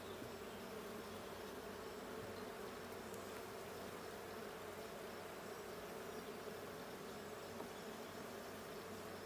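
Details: Blue hive of honey bees checked on 20 June 2022, giving an unbroken droning buzz of many bees, steady and level, with a faint click near the start.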